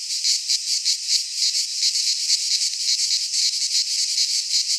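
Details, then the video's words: Midsummer chorus of cicadas from Greek fauna, recorded in a pine forest; a loud, unbroken shrill hiss pulsing quickly and evenly, with nothing else audible beneath it. "Cicadas singing in midsummer - Nature sounds from the Greek fauna - Sounds of cicadas"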